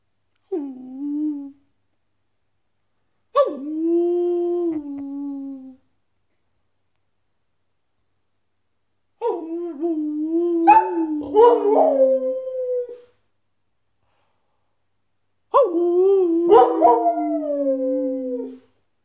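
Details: A male Border Collie howls along with a person howling, in long, wavering, slightly falling notes, each lasting a few seconds.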